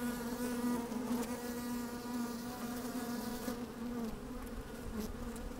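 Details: Honey bees busy at work inside an open hive on a fine, sunny day, recorded with a microphone slid down into the hive: a steady droning hum with a strong low band and stacked overtones, occasional louder buzzes, faint clicks.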